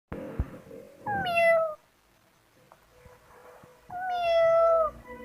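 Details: Kitten meowing: two drawn-out, slightly falling meows about three seconds apart, each under a second long, with soft rustling and quiet background between them indoors.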